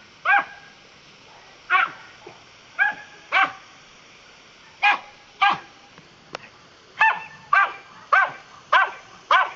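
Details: Dachshund barking while playing with water, about a dozen sharp, high barks spaced unevenly, often in pairs, over steady background hiss.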